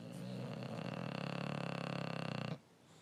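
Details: A male English Bulldog, asleep with his tongue sticking out, snores in a low, rattling, buzzy drone that flutters rapidly before stopping.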